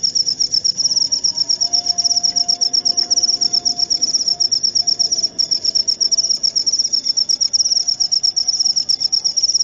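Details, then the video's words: Continuous high-pitched cricket chirps, rapid even pulses running without a break for the whole stretch, a thin whistle-like tone drifting faintly underneath. "Suara Jangkrik"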